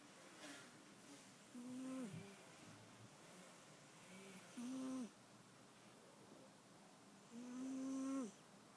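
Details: Cat snoring: three drawn-out, buzzy, nasal tones of under a second each, spaced about three seconds apart in a quiet room, with a faint hiss behind them.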